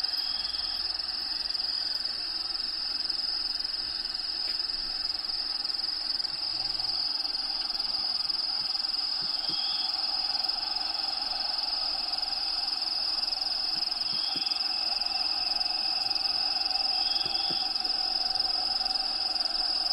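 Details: Crickets kept in a bearded dragon vivarium, Diego's enclosure, chirp in a high unbroken pulsing trill around twice per second, with faint short whistled notes from background habitat sounds now and then.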